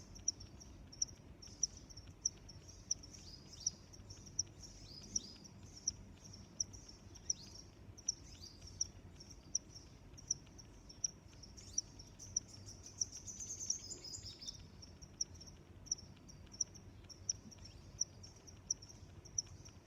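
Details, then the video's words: Crickets in a continuous high chirping chorus of rapid short pulses, with sharp ticking clicks recurring roughly every two-thirds of a second and low ambient hiss. "Sounds of Crickets"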